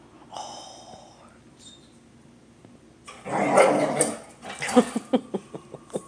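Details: Jaxon, a Border Collie, having fun chasing squirrels: a rough, noisy growling burst midway, then a run of short sharp barks spaced roughly every quarter second at the end, with a faint whine early on.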